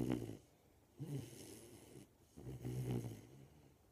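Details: Mabel, a 13-week-old Golden Retriever puppy, snoring in her sleep: low, rumbling breaths roughly every second and a half, each a soft throaty snore fading into quiet.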